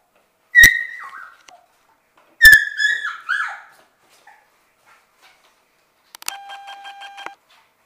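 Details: Six-week-old Shetland Sheepdog puppies from one litter playing together in their play room; two bursts of high, ringing yelps that slide down into whiny squeals, followed near the end by a steady, buzzy squeak-like tone.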